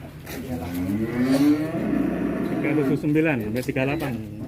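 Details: Agitated bovine at Duta Farm 61, Kuningan, West Java, Indonesia, making a rising, wavering moo that stretches over most of the clip, over low background rumble and some voices.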